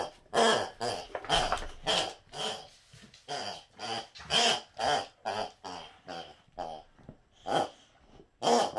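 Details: Boxer dog indoors urging a companion to play, giving a steady series of rough, grumbling growl-like vocalizations about once per second, each short burst rising and falling in loudness.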